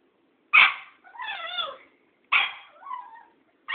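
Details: Cairn Terrier squaring off with an old tomcat: a sharp yap, then a wavering, whining cry. Another yap follows, trailing into a falling whine, before a final bark.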